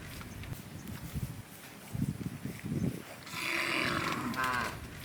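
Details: Hundreds of large, tame cattle gather in rice fields looking for food, lowing deeply in bursts, then a drawn-out, rising moo carries over the herd.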